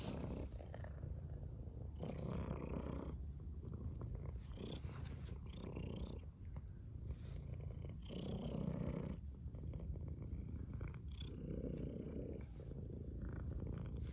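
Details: Domestic cat purring steadily, a low rumbling purr that swells and fades in breath cycles about every second, the pulses alternating between stronger and softer phases, with faint soft ticking and rustling above.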